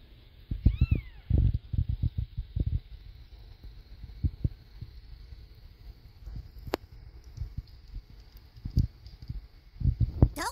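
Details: Mother cat Caramel giving birth to a litter, the last kitten born with a foot disability: an arched, rising then falling meow near the start, soft knocks and rustling, and a brief rising call at the very end.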